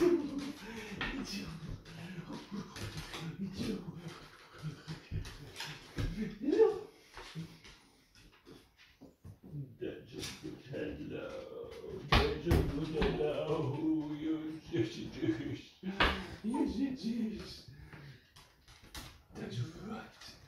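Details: Smudge, a female Beagle indoors, raising the alarm because she senses her owner is nearly home from surfing. She gives wavering, whiny vocal bursts that rise and fall, mixed with people talking nearby in a small room.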